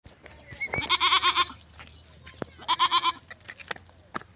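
A Barbari goat gives two quavering, nasal bleats, each about half a second long.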